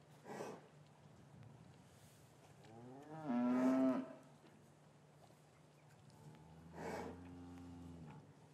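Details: In a quiet English cattle yard on a winter's afternoon, with the calves separated from their mothers, a single low, steady moo stands out, then a fainter, shorter one follows amid soft background hum and faint knocks.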